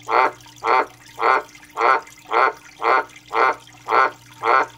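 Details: An Australian white dumpy tree frog, a male calling non-stop for three days, gives loud, harsh, pulsed croaks about twice a second. Nine evenly spaced calls run over a steady low electrical hum.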